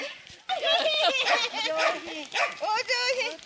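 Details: Corgis at an afternoon owners' meetup in 2020 give a run of high, yappy barks and whiny yelps, densely overlapping, with people talking and laughing around them.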